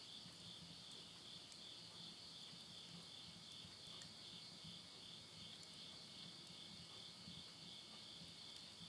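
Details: Midnight in the Japanese countryside of Tottori at summer's end, September 2020: many insects keep up an unbroken, high, wavering trill, with soft crackling of firewood burning in a stove beneath it.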